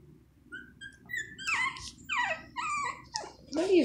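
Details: Shih Tzu puppies, one of a litter of six around two and a half weeks old, weaned early when their mother stopped nursing, give a run of high squeaky whimpers and short sliding squeals that grow busier toward the end, over a low background hum.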